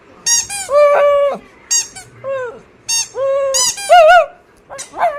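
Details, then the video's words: Pet dog Oscar gives a run of clear, high squeaky whines, some held flat and others bending up and down, each about half a second, in a quiet indoor setting. "Oscar making cute sounds"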